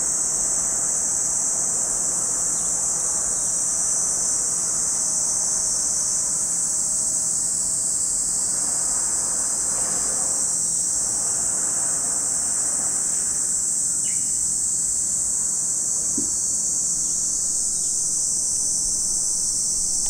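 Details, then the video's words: Steady, unbroken high drone of cicadas at Lake Kamo, Sado City, Niigata Prefecture, Japan, holding the same pitch throughout, with a soft low rumble swelling and fading near the middle and a few faint clicks later. "Lake Kamo in Sado City, Niigata Prefecture, Japan, where you can hear the voice of cicadas."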